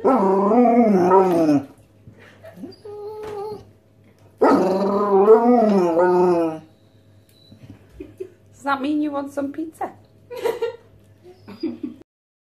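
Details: Two Basset Hounds beg their owner for pizza with long, wavering, moaning howls that rise and fall in pitch.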